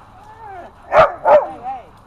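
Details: Dogs at Happy Puppy Park playing with a new tetherball; two sharp barks about a third of a second apart, between and after a person's cheerful calls, with another voice talking in the background.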